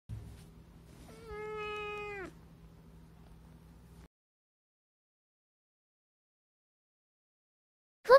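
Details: A rescued black-and-white cat, the daughter of a fed stray, meows once in a clear, drawn-out tonal note that rises slightly then falls, with a faint low hum beneath and near silence afterwards.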